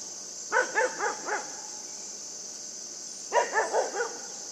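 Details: Puppy named Yufie barking while playing with a buck: two bursts of short, high, yappy barks, four quick barks then a pause and four more, over a steady high-pitched background hiss.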